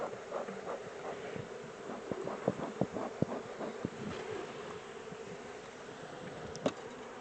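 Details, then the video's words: Buzzing of a captured honey bee swarm during its transfer from a small temporary box to a larger hive: an even, continuous mid-low hum overlaid by sharp taps and clunks of the box being worked. "Moving the Honey Bee swarm to a bigger hive"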